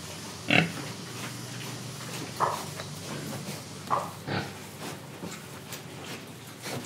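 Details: Indonesian pig producing scattered oinks, one sharp loud grunt early, then softer nasal grunts every second or two, against a steady low background noise.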